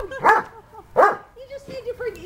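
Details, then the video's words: Domestic dog giving two sharp, loud barks about a second apart, followed by softer whining yelps, with people talking nearby. "Bark, bark, bark!"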